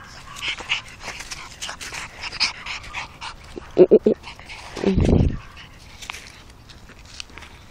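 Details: A pug gives a tight cluster of three short, sharp yelps, then a longer, rough, lower growling whine, with a person speaking Russian quietly and faint handling noises around it.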